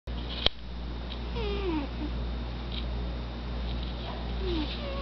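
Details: A domestic cat snoring loudly: a low, steady rumble with soft wheezy whistles gliding downward on each breath, after a sharp click at the start.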